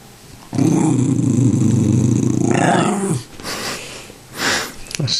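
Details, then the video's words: Tibetan Terrier grumbling indoors while begging for popcorn, sassing her owner: a sustained low, rattling growl lasting about two and a half seconds, then fading into softer huffs as a woman talks. "a Tibetan Terrier Talking for Popcorn"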